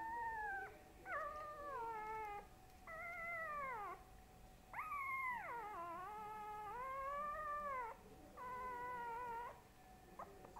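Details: Long, falling howls from Boo Boo, a dog said to be getting big, come in repeated bursts of one to two seconds, each sliding down in pitch, with brief gaps and a steady background hum.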